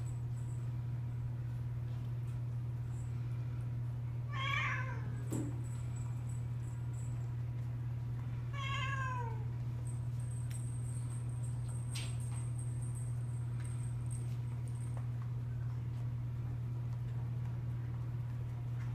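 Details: Pet cats playing with new toys give two clear meows, each a short harmonic cry that rises then falls, about four seconds apart, over a loud steady low electrical hum and faint high whine.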